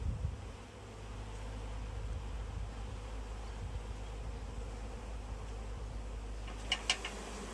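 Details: Honey bees swarming in a tree as they are gathered into a bag, giving an even, sustained hum over strong low-pitched rumble, with a couple of sharp clicks near the end.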